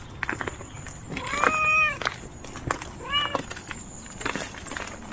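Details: Timid stray mother cat outdoors giving two short harmonic meows about two seconds apart, the first longer and louder, over light background hiss with faint clicks and rustling.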